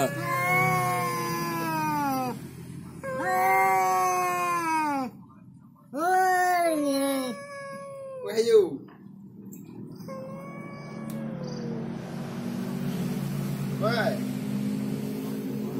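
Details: House cat caterwauling while confronting a rival and butting heads: loud arching yowls in three long bursts during the first eight seconds, then a sharp scuffle-like noise and quieter, drawn-out moans over a low hum.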